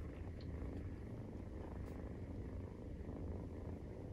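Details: Maine Coon cat purr at nursing time, kitten aged 43 days; a short stretch of close, even, low vibrating rumble with a faint soft tick near the start.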